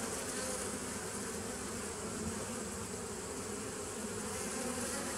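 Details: A short stretch of bees humming, recorded 27 September 2018. The dense, level buzz has deep layered tones and stays even throughout, backed by a soft broadband hiss.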